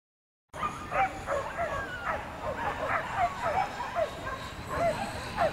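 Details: Male whippets at an A-class race run in Berlin-Brandenburg, giving a continuous string of high, sharp yelping barks and yips, short bursts overlapping every fraction of a second, with background crowd murmur.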